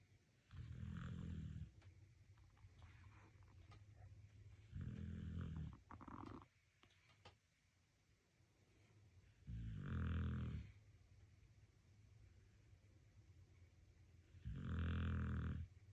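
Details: Sleeping, relaxed dog snoring indoors: deep, low rumbling snores in long drawn breaths roughly every four to five seconds, with a few faint clicks between them.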